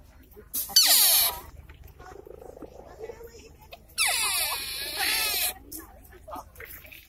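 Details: Wild sika deer emerging from woods in Nara Park, Japan, in September 2017; two high, shrill, squealing calls, the first brief and the second longer and drawn out, with people talking quietly nearby.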